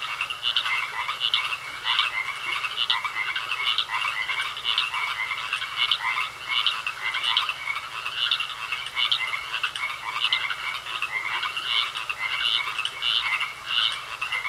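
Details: Croaking frogs in a pond, a busy chorus of rapid harsh notes repeating without pause, several callers overlapping, with a thin continuous tone in the background.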